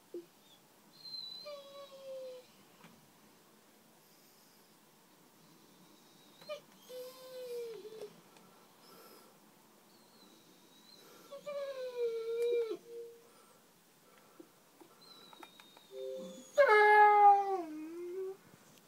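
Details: One-year-old Pit Bull and Bullmastiff mix named Blue, indoors in London, crying because he wants to get out; a series of high, wavering whimpers and moans rising into a louder, strained wail near the end.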